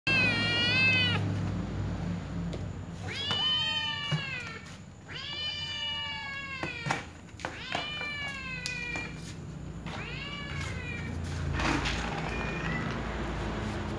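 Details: Small white cat meowing repeatedly, five drawn-out harmonic meows of about a second each, several wavering and bending downward, with short pauses between, over a low steady background hum.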